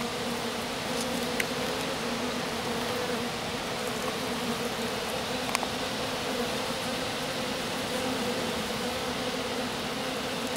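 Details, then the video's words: Small honey bee swarm settled in grass after a colony swarmed, the queen landed in the grass with a handful of workers around her; steady dense humming drone throughout, with a few faint clicks. "Abeilles. Petit essaim posé dans l'herbe"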